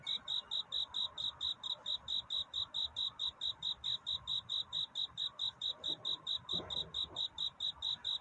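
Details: Night cricket courtship song near dawn: a rapid, evenly spaced train of clear, high-pitched chirps, roughly four to five per second, over a quiet background with a brief soft noise near the end.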